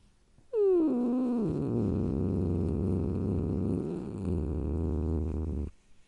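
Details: Cat growling: a short, sharply falling wail gives way to a steady, low, rough rumbling growl held for about five seconds. It swells slightly near the end, then cuts off abruptly.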